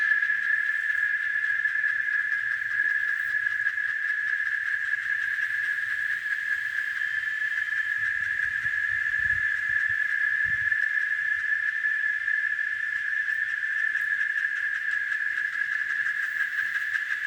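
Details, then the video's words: Cicada in nature near farmland at Varginha, Minas Gerais, Brazil, producing an unbroken, even, high buzzing whine throughout, steady in loudness, with only faint low rumbles in the background. "Som da cigarra, canto, barulho da cigarra na natureza"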